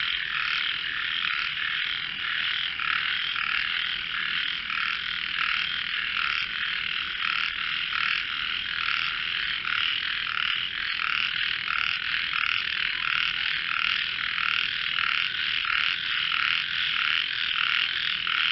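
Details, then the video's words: Frogs in a melodious voice competition form a dense, steady chorus of overlapping buzzy croaks that never pauses, with faint rapid pulsing throughout. "frogs sing"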